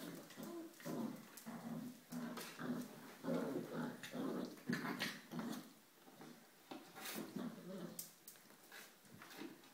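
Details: Ellie's five-week-old puppies in their whelping box, kept indoors because of rain, making a continuous jumble of low growly grumbles and whines in quick, irregular bursts, with scratching and pattering among them.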